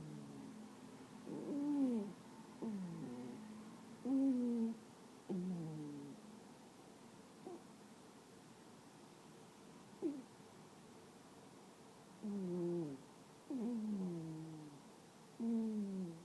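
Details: Female toy poodle snoring loudly while asleep indoors: whistling, nasal tones that slide downward, in bursts of about a second, repeated irregularly every one to three seconds, with quiet breathing gaps between.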